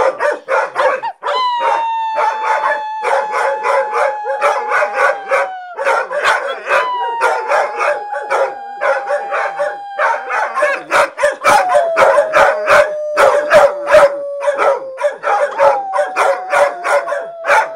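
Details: Dogs howling in long falling tones, several drawn-out notes in sequence, beneath a dense, fast train of sharp rhythmic bursts that fills the whole recording.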